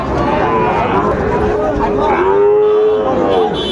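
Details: Sahiwal bull calves at a Comilla cattle market, Bangladesh, 18 October 2024: a long, drawn-out moo swells in the second half and rises slightly in pitch before fading, with market chatter and a faint trace of music behind.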